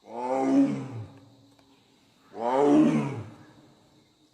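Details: Royal Bengal tiger in the Sundarbans giving two rough, resonant roars about two seconds apart. Each swells quickly, then trails off into a low rumble.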